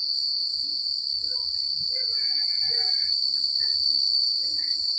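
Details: Cricket chirping fills a secluded country night as a steady shrill trill with pulsed higher notes. Softer warbling mid-range calls drift through, over a low rustling rumble.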